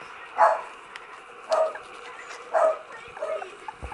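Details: 20-day-old Cocker Spaniel puppies whimper in short, high, squeaky bursts about once a second.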